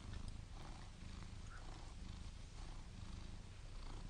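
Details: Cat purring steadily, a deep continuous rumble that holds without pause from start to finish.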